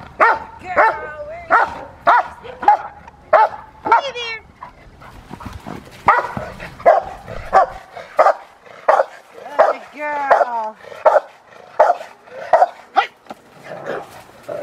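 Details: Rottweiler Fire v LordsNLadies barks repeatedly during IGP schutzhund protection work, strong regular barks roughly every second, with a brief pause and a few higher whining notes between barks.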